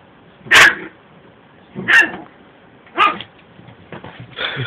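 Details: Small Yorkshire Terrier attacking a Shih Tzu during play-fighting between two pet dogs indoors; three sharp, high yappy barks about a second apart, then rougher scuffling growl-like noises at the end.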